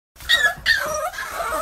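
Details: American bully puppies giving short, high, whimpering whines in two quick rising-and-falling bursts, then a thinner trailing whine, heard close up.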